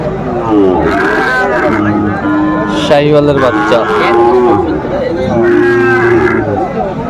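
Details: Sahiwal bull bought by a farmer in Comilla, Bangladesh, lowing in several drawn-out moos with steady low harmonics, rising and falling, while people talk nearby and a crowd murmurs.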